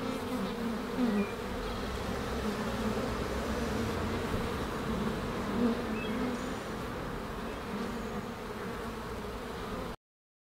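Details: A rescued honey bee swarm settled at a rooftop sanctuary: a dense, steady low hum from many bees, with a few brief louder buzzes near the start and middle as single bees pass close. It stays continuous to the end, with no other clear sounds.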